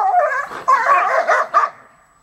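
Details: Seven-month-old husky puppy trying to steal from an older dog, a ten-year-old American Eskimo and Beauceron mix, indoors; a run of four or five sharp, loud yips and barks in quick succession, fading out after a woman urges the older dog on.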